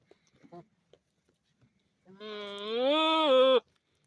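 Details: A billy goat, a male known for funny noises the others never make, gives one long, loud, wavering bleat of about a second and a half after a few soft thuds.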